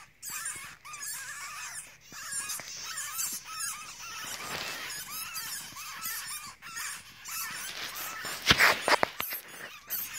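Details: Baby weasels and their mother found near a forklift charger at a recycling station; busy high chirping and squeaky twitters in overlapping bursts, with a sharp clatter near the end.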